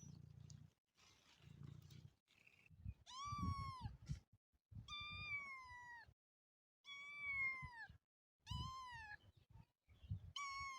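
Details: Repeated high, clear meows from a motherless kitten. Five or six calls arrive about every one and a half seconds, each arching up and then falling away, with low handling thumps between them.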